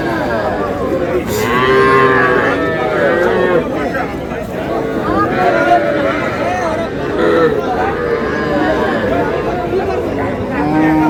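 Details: Young bulls and heifer calves at a livestock market in Comilla, Bangladesh, recorded on 12 May: overlapping mooing from several animals, wavering and continuous, under a steady crowd murmur and bargaining voices.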